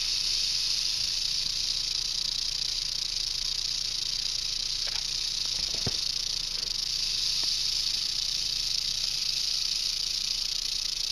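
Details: Unbroken dry buzzing from a western diamondback rattlesnake found on a road in Arizona, constant in pitch and loudness, with a couple of soft taps near the middle.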